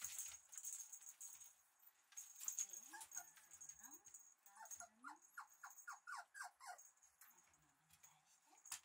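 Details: Red male Shiba Inu puppy, bred for show, gives a run of short, high, upward-sliding squeaky yelps in quick succession, with some lower whimpers between, over steady hiss and light clattering.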